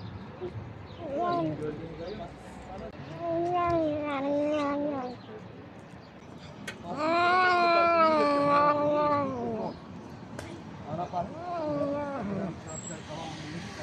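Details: Cat eating and vocalising, repeated wavering, moaning meow-like calls of varying length, the longest and loudest in the middle, with faint background hum.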